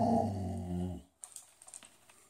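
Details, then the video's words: Lilo, a Boxador at the dinner table, answers a request to say mama with a low, drawn-out voiced grumble lasting about a second, rich in harmonics, followed by quiet clicking and tapping sounds. "Lilo the Boxador Talks"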